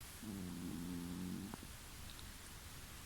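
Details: Domestic cat asleep and snoring, heard from the next room about two weeks after moving to a new home; one low, droning, harmonic breath lasting over a second, then a faint click against steady background hiss.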